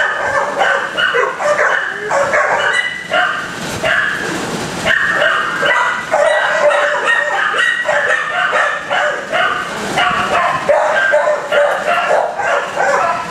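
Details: Many dogs barking together in kennels, dense continuous overlapping barks and yelps of varied pitch throughout, with no pause between callers.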